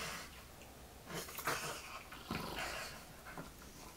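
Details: Wilbur, an English bulldog, playing on a bed indoors; breathy, rough snorting growls swell near the first and second-and-a-half seconds, with soft panting and snuffling between bursts.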